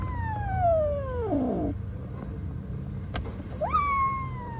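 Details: A long drawn-out meow slides steadily downward and breaks into a rough low wobble, followed after a quiet gap by a sharp rising cry that levels off. The caller is an abandoned kitten found freezing in -11°C snow and rescued.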